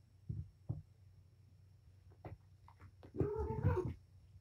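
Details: Indoor playtime for Patience, a mother cat with five kittens at Purrfect Pals: scattered soft thuds and scuffles, then a drawn-out, tonal meow with rich harmonics lasting under a second near the end.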